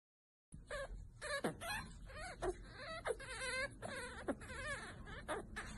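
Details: Chihuahua making a run of wavering, whiny cries that rise and fall in pitch, several in quick succession over about five seconds, with light background hiss.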